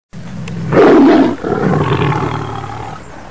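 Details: A tiger in a zoo gives a deep, rasping roar that surges loudly, then fades into a lower rumbling growl. Tiger.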